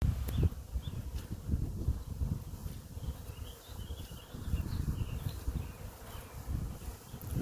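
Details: Honey bee swarm in flight above a home apiary, bees leaving one hive; a dense low droning hum fills the clip, rising and falling in loudness, with faint wind and distant bird chirps.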